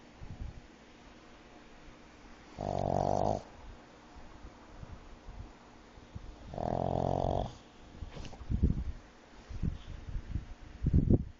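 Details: Pug with sleep apnea snoring while asleep; two long, droning, nasal snores about four seconds apart, followed by shorter snorts and rustling as it wakes.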